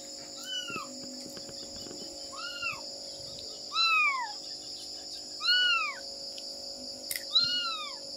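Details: Domestic cat, a mother searching for her kittens, gives five short high meows, each rising then falling in a brief arch, spaced roughly every one and a half to two seconds against a constant shrill background drone.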